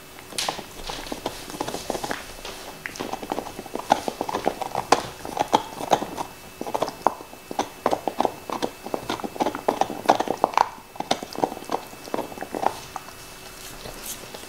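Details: Black Labrador Nixon working at his favorite bone, with rapid crunching clicks and gnawing snaps in tight bursts, then a short quieter pause near the end; mouth sounds only, no talking.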